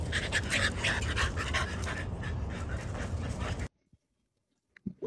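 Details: Merle American Bully puppies at play, breathing in quick rhythmic pants of about three per second over a steady low rumble, then an abrupt drop to near silence with a faint sound at the end.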